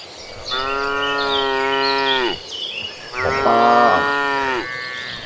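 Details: Tame cattle in a herd walking toward green pastures: two long, drawn-out harmonic moos, the first about two seconds and falling at the end, the second wavering and more intense, with small birds chirping in the background.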